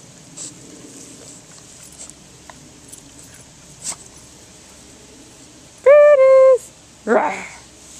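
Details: Brutus, a Boston Terrier, playing in a sprinkler on a hot summer day: a steady, high, harmonic whine lasting about half a second, followed by one short rough yelp, over a faint hiss of spraying water.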